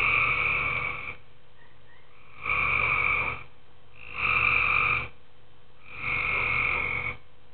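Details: Nighttime tree frogs in a pool give four grating, nasal croak bursts about a second each, spaced roughly every one and a half to two seconds, with soft faint chirps in the first pause.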